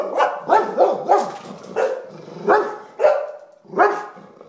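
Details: English Springer Spaniels, possibly Brenner, Lindsey and Mariah, bark repeatedly at a sponge on a table, which Brenner apparently thought was something bad. The barks are sharp and mid-pitched, about every half second to second.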